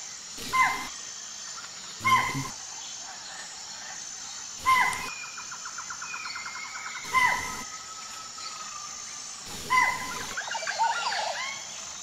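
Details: A deer in the jungle gives sharp, loud alarm barks about every two and a half seconds, warning its herd of a lurking tiger.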